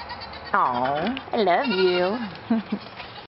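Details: Goats, excited about their new collars, bleat in loud, wavering bursts: one long quavering cry followed by shorter ones.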